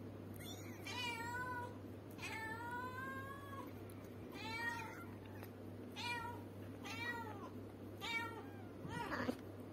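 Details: Cat or kitten calling repeatedly in a room, a run of about seven drawn-out meows, some long and wavering, others short and sharp, with a steady low hum underneath.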